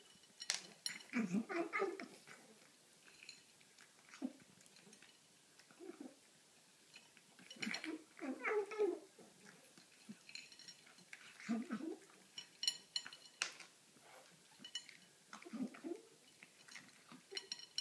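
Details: Domestic cat making strange noises while eating: short, irregular bursts of squeaky, wavering vocal sounds mixed with chewing, scattered across quiet gaps in an indoor room.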